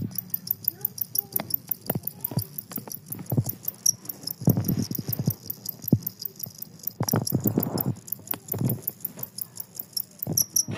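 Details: Jangkrik kalung, the two-spotted cricket, sings on amid surrounding commotion, its fast, regular high ticking pulses unbroken across the whole stretch while bursts of low rumbling clatter and thuds come and go beneath.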